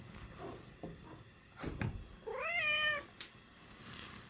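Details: American Curl house cat showing its feelings in its voice: faint mews and a couple of knocks indoors, then one clear rising-and-falling harmonic meow about half a second long, ending with a small click.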